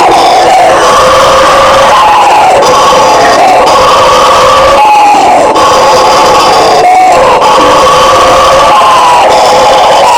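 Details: Howler monkey roar from Brazil's fauna: a rough chorus of overlapping droning voices rises and falls in waves, with short dips and pauses at intervals of about two seconds across ten seconds.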